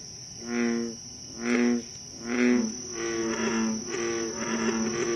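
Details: American bullfrogs croaking at night in Moore's Swamp, Concord, Massachusetts, on 28 July 2013: deep, resonant harmonic jug-o-rum notes about once a second, a second caller overlapping in the latter half, over a steady high insect drone.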